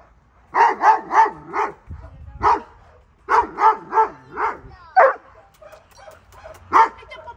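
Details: Doberman Pinschers, a two-year-old male and an eight-month-old female, show offensive, reactive behaviour during training. The clip has loud, deep barks in quick bursts of three or four, then scattered single barks with short pauses between them.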